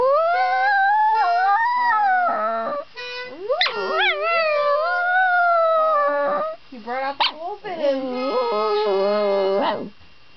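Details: A poodle howls in long, wavering tones that rise and fall alongside the harmonica notes of a child playing nearby.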